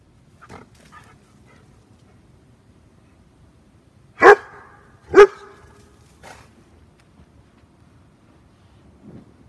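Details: German Shepherd named Max barking: two loud, sharp, broadband barks about a second apart near the middle, with a few faint softer yelps before and after against a quiet background.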